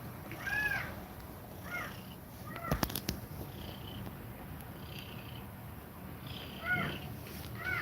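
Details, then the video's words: Mother cat breathing fast while nursing her kittens: a low, steady, rumbling purr-like texture runs throughout, overlaid by short, high, arching kitten mews in small clusters, with a brief sharp clattering burst near the middle. "Cat Breathing Fast While Feeding Milk To Kittens"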